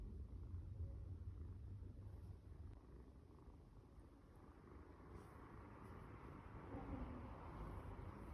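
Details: Four-month-old male blue British Shorthair kitten named Sesame Paste (芝麻糊), filmed 14–15 December 2020 while offering a paw for a handshake, purring in a quiet, steady low rumble that continues throughout with faint background hiss.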